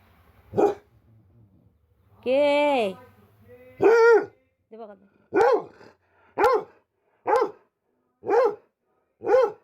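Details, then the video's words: Pet dog barking in a series of sharp, loud barks, with the later ones spaced roughly one second apart. A drawn-out voiced sound comes near the start, and a person speaks in Bengali around the barks. "MY LOVELY PET IS BARKING"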